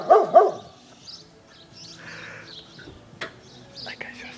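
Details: Pet dog barking at balloons on a garden fence: two quick, sharp barks right at the start, then near quiet with faint rustling and a few small knocks.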